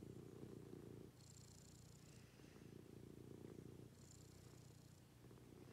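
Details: Domestic cat purring during a morning routine at home: a steady low rumbling purr that swells and fades in long breaths, with faint high thin tones drifting above it.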